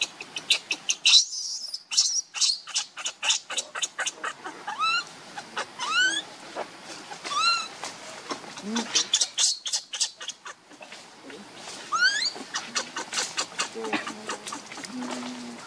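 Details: Baby monkey named Leo, hungry and begging its mother for milk, gives short rising cries that sweep sharply upward, repeated several times with pauses, over a clicking background and Vietnamese voices talking.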